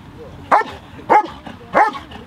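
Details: Three loud, ringing barks about half a second apart from a dog competing in the 2023 FCI IGP working dog trial, Norwegian championship.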